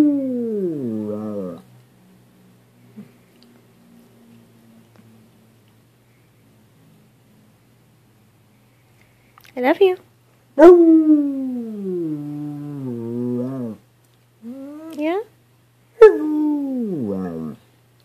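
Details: Sable, a rescue black and tan coonhound, possibly mixed, baying to "talk" to her owner indoors: long mournful howls that fall in pitch, with a short yowl at the start, silence, then repeated drawn-out bays.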